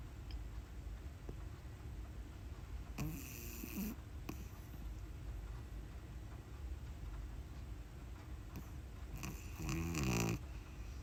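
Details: Pug puppy Uni, recently arrived at home, snoring in her sleep: a short raspy snore, then after several quiet seconds a longer, louder rattling snore with a wobbling pitch. Faint room noise in between.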